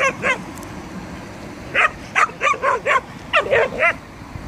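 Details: Stray dogs at night in Belgrade, Serbia, one dog on one side of a fence barking at a group on the other: two short barks, a pause, then quick bursts of about five sharp, slightly rising barks.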